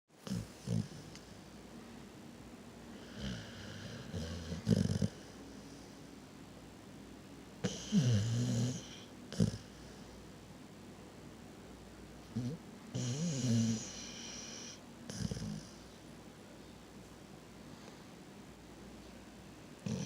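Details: Reese, a pet dog, sleeping and snoring: low rumbling breaths come in irregular bursts, some rough and snorting, separated by quiet stretches indoors.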